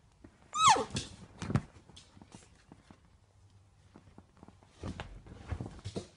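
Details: A Pit Bull puppy, possibly unhappy with its new home, gives a brief high whine that slides sharply downward, followed by clattering knocks.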